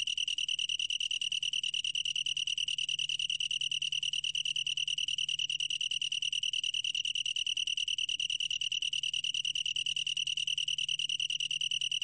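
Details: Twelve seconds of long-tailed tree cricket song from a 2020 Korean National Institute of Biological Resources recording: a sustained, bell-like high trill of rapid, regular pulses without breaks, over a faint low-pitched hum.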